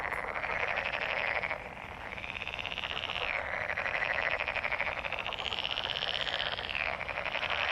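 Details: Many frogs calling during mating season, a thick overlapping chorus of fast rattling trills that rise and ebb in waves, steady throughout with no other noises.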